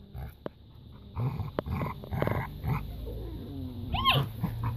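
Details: Labrador retriever puppies playing in a garden, teasing an older dog; low scuffling growls and short bursts of rough vocal noise with clicks, ending in a brief rising whine.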